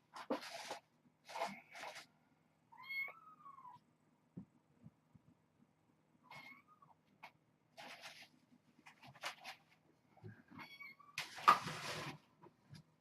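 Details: Kittens at evening play time indoors, wrestling and chasing toys: a few short, arched meows rise and fall, spaced several seconds apart, between bursts of scuffling, rustling and thumping from the romping kittens.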